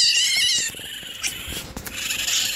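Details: Two hungry baby raccoons at a wildlife rehabilitator's, waiting for bottle feeding while being cleaned; high harmonic crying in the first half, then softer hissy sounds, clicks and handling noise.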